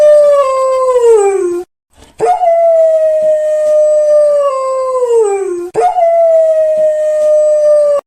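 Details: Domestic dog howling: three long, clear, sustained tonal howls, each holding a steady pitch and then sliding downward at the end, separated by short breaks, with rich harmonics and no other sounds.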